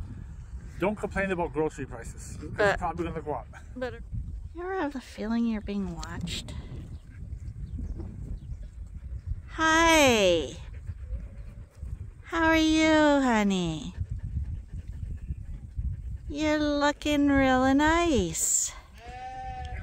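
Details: Sheep on Ewetopia Farms crowding in a morning pile-up while waiting to be let out to pasture, the first time this year. Three long, loud, wavering bleats with a tremulous quality follow a stretch of human talking.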